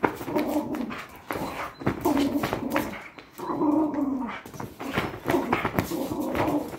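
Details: A Patterdale fell terrier growls while playing tug of war in training, giving about four rumbling, throaty growl bursts separated by short pauses, with some scuffling in between.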